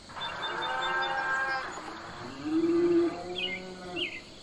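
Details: Domestic cattle on a farm, a long drawn-out harmonic moo lasting over a second, then a shorter arched bellow that rises and falls, with a couple of faint bird chirps near the end.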